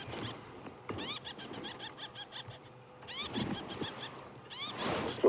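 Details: A wild squirrel on a sunrise safari drive shouting, something it does not normally do at people; bursts of sharp, repeated chirps with rising harmonics, in clusters with pauses, over a man's voice and outdoor background.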